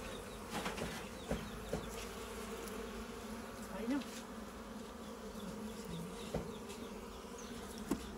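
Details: Honey bees buzzing in a farm goat shed while their local honey is taken: a continuous low, even hum with a faint overtone, scattered clicks and handling knocks, and low background noise.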